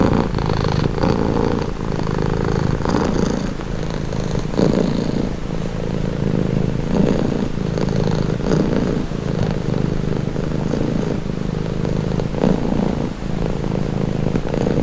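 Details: Domestic cat purring steadily, offered as a calming relaxation sound; a continuous low rumbling vibration pulses in slow breathing cycles of inhale and exhale, close and even throughout with no other sounds.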